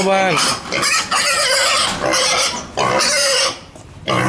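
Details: A hungry pig kept like a house pet squeals loudly while trying to force its way through a door to get inside, giving harsh, rising screams in long bursts, with a person speaking nearby.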